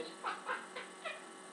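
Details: Domestic cat described as a talking cat, snapping while on the stove: four brief, clipped mews with a bright harmonic tone, roughly a quarter second apart, over steady indoor hum.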